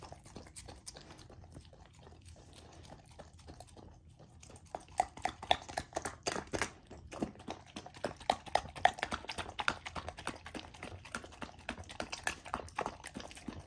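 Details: Golden Retriever puppy, female, eating a raw dog food dinner; quiet start, then rapid wet smacking, licking and crunching, about four sharp clicks per second with louder peaks.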